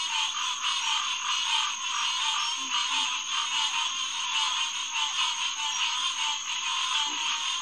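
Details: Green tree frogs (Hyla cinerea) in a night chorus at Headquarters Pond, SMNWR, June 2, 2021, around 9:10 pm. A dense, unbroken wall of overlapping nasal calls fills the clip, with a few faint low grunts beneath.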